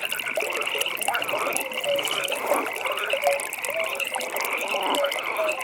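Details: Nighttime frog chorus at a pond, steady buzzing pulsed trills overlapping throughout, with scattered brief low croaks and a faint watery hiss in the background.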